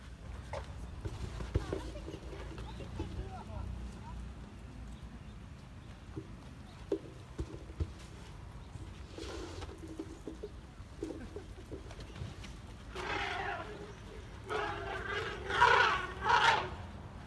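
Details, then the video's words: At San Diego Zoo Safari Park on 7/5/2021, two almost three-year-old elephants, Zuli and Mkhaya, get overexcited playing in water and trumpet. Two loud, brassy blasts come near the end, one after another, following quieter murmuring voices and splashes. "Baby Elephants Trumpeting!"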